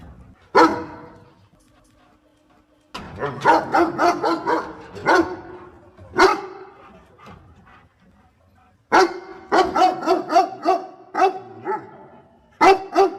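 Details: Dog barking while helping its owner pick water spinach: a lone sharp bark, then a rapid run of barks, another single bark, and a second quick burst of repeated barks, with quiet gaps between.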